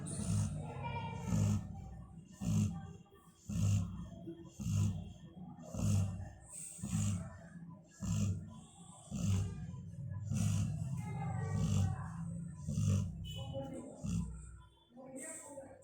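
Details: A sleeping female Labrador Retriever snoring: deep, low rumbling breaths repeated roughly every one to one and a half seconds, each a rough grunting pulse with a faint hiss above, steady through the recording.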